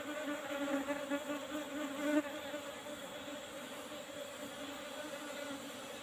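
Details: Honey harvest from an Apis cerana colony kept in an old-style box hive with a used asbestos lid; dense, continuous buzzing drone that swells briefly around two seconds, then settles into an even hum.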